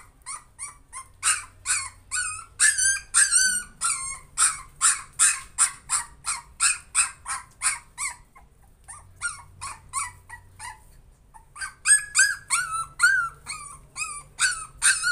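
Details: Young puppy trying to overcome its fear, giving a long run of high, sharp yelps and squeaky yips, about two per second, with a short pause near the middle before the rapid cries resume.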